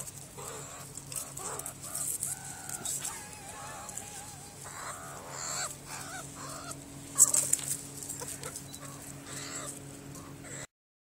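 Meerkats give short, clucking chirps and brief harmonic peeps in irregular bursts over a low steady hum.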